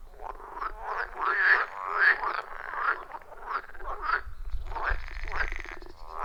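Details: Frogs croak in a loud, rough, rhythmic chorus of short pulsed calls around a wild forest pond, recorded live.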